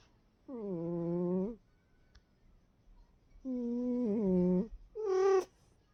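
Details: A cat asleep and snoring, giving droning, nasal tones of about a second each, three in total spaced a few seconds apart, the final one shorter and higher.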